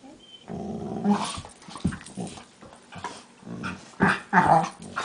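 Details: During play fighting between two pet dogs, Max and the smaller Leo, a low harmonic growl opens after a brief quiet, then gives way to sharper snarls and throaty bursts.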